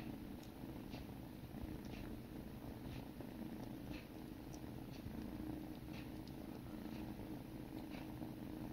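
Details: Steady low purring as sibling kittens groom each other, with soft periodic licking sounds over the rumble.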